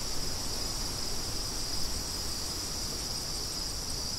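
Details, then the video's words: Continuous high-pitched cricket trilling forms an unbroken, shimmering band over a low, steady rumble of wind. "Crickets & Wind"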